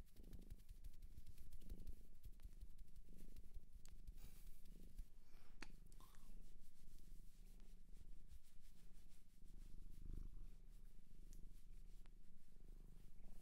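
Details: Cat from a Japanese shelter purring indoors near the recorder, a soft low rumble swelling and fading with each breath, with faint rustles and light tapping sounds in the background.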